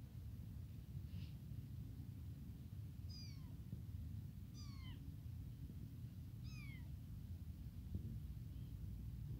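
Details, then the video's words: Hungry abandoned tiny kitten calling for its mother: several sharp, high mews that drop steeply in pitch, coming in quick succession about a second apart, with a low rumbling hum underneath. "Newly tiny abandoned kitten crying none stop to calling mom hungry milk"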